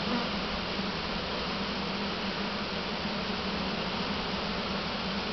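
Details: Honey bees from a swarm trap being hived in a single deep hive, unhappy with it; loud unbroken buzzing roar, a low hum under a broad hiss of wingbeats.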